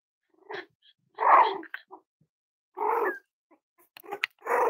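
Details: Cavalier King Charles Spaniel puppies playing with each other indoors: rough, throaty growling bursts and gruff little barks, each lasting about half a second, separated by short gaps, with a faint squeak among them.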